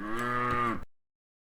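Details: A cow in a grass field gives a single deep, steady moo, calling out to other cows.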